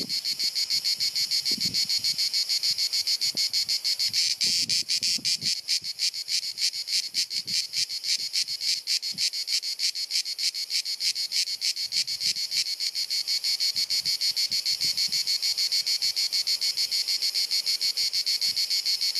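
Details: On a hot sunny summer afternoon in Dalmatia, Croatia, a cicada sings a loud, continuous high buzz that throbs with rapid pulses.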